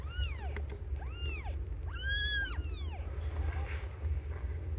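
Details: Meowing while young cat Aimee gives birth to five kittens: four arched mews, the third loudest and fullest, falling away before a soft rustle and a low background hum.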